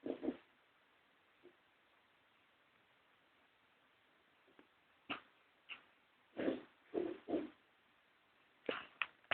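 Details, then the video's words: Pet pug named Toya snoring indoors; irregular breathy snorts and rasping bursts, a few at the start then clustered snores in the second half, separated by quiet pauses. "my pug snoring"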